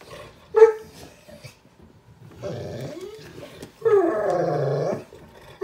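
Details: Play between a pitbull puppy and a Chihuahua mix: a short sharp bark, then two drawn-out rough growls lasting about a second each, and another bark cut off at the end, over quiet indoor background.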